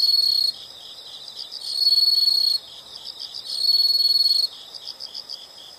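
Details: High insect trills from a nature recording, loud sustained buzzing bursts of about one to two seconds alternating with quieter pulsed chirps at a steady rhythm.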